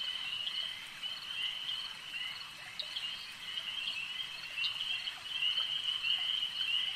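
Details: Many frogs at a lake give a steady shrill trilling drone that swells slightly in loudness toward the end, with scattered brief sharp ticks over the top.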